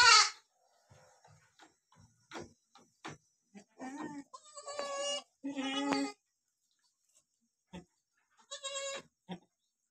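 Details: Goat with two newborn kids being licked by their mother; a sharp opening bleat, then scattered soft clicks and rustles, followed by several wavering nasal bleats in the middle and a shorter one near the end.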